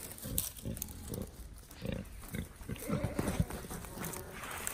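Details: Wild boar playing with a ball give low, rough grunts in short bursts, with some background noise.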